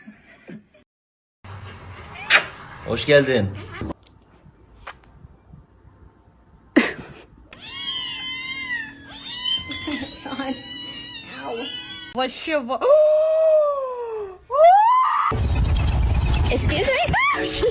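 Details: Kitten meowing amid voices: a series of short, bending meows of varied pitch, then two longer, falling-and-rising meows near the end, with people talking before and after.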